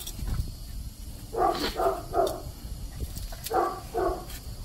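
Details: Five-month-old Rat Terrier puppy chasing a large red-eared slider turtle on first meeting. Short, sharp yappy barks come in two quick bursts of two or three, with outdoor rustling between them.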